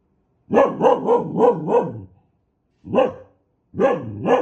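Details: An aggressive dog lets out a rapid string of five hoarse barks, falls briefly quiet, then gives one more bark and a final pair, all loud and close.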